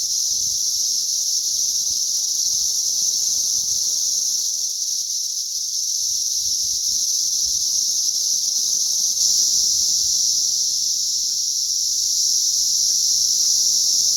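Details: Mass cicada emergence recorded on May 20th 2034, many insects calling together as a continuous shrill buzzing wall of sound that barely shifts in loudness, slightly swelling near the end, with faint low background rumble.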